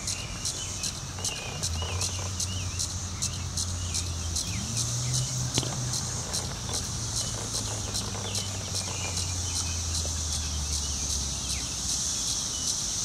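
Periodical cicadas give a high, hissing buzz pulsing about twice a second as they try to mate.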